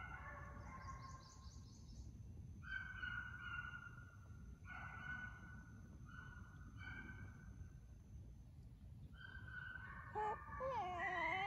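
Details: Hound pups chasing coyotes inside a fox pen to build speed and endurance during a summer of training. Repeated distant bawling bays come in bursts, then a nearer howl wavers up and down at the end.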